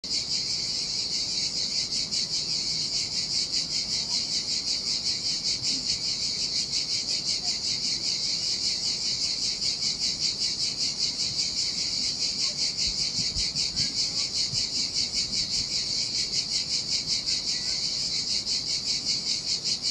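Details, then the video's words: Cicadas singing in summer heat beside a desolate Sardinian beach: a dense, high, shrill buzzing chorus pulsing steadily about two and a half times per second, with soft surf murmuring low beneath. "Ocean Waves & Cicada Sounds - The Most Relaxing Waves Ever - Cicadas by the Sea"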